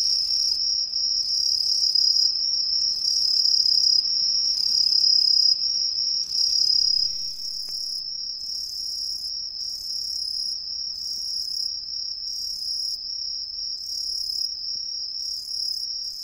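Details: Green tree crickets singing from hidden perches in street trees in a residential area of Ehime, Japan: a dense, continuous high-pitched shrill chorus from many insects, with rhythmic pulsing trills overlapping a steady ringing tone.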